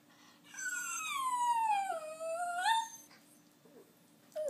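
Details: Dog whining in one long tonal cry that slides downward then rises again, with rich harmonics, followed by quiet and a brief rising yelp at the end; steady low hum in the background.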